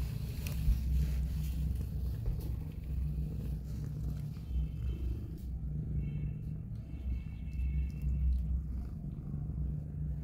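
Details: A mother street cat, Hope, who is disabled, feeds her two rescued newborn kittens. Throughout there is a rhythmic low purr with pulsing bands, and faint higher tones appear in the second half.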